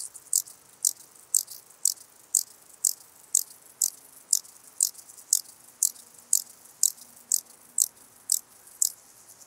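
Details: Song of a ladder grasshopper recorded in Muhrtal, Austria, on 9 October 2020: evenly spaced dry, scratchy high buzzes, about two each second, repeated in a regular series with little else audible.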